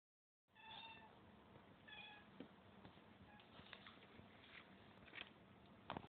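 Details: A cat gives two short, high meows in the first two seconds, then only faint scattered clicks over steady background hiss.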